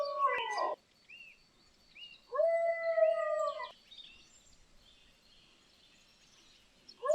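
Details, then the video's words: Dog moaning while lying down: drawn-out tonal moans with rich harmonics, one short at the start and a longer steady one around two to four seconds, separated by quiet pauses, another beginning at the end. "dog moaning when lying down"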